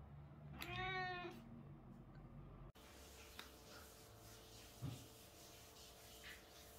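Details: British Shorthair cat gives one clear meow during the day, a bit under a second and slightly falling, followed by a cut to steady background hum with occasional faint knocks and no further calls.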